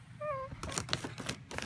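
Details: Miniature Pinscher asking for treats, giving one short, high, tonal whine that dips slightly at the end, followed by clicking and rustling sounds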